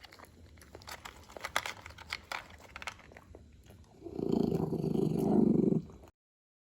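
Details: Grumbling noises from Moses, an adult pet Shih Poo enjoying his meal: crunching at first, then a loud sustained low growl lasting nearly two seconds before it cuts off, in a small indoor room.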